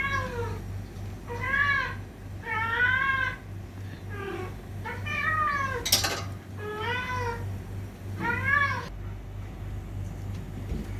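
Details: Fighting cats: repeated drawn-out meows with a wavering, nasal tone, about seven in eleven seconds, with a sharp click or knock near the middle and a constant low hum beneath.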